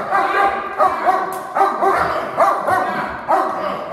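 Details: Two dogs in protection training barking in synchrony on command, a hold and bark exercise: dense, loud, repeated harsh barks overlapping continuously, with bursts every half second or so.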